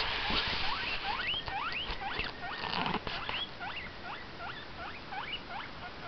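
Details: Indoor pet guinea pig calling in a rapid series of rising, whistled squeaks, roughly three or four a second, at first loud and then gradually quieter, over low room noise.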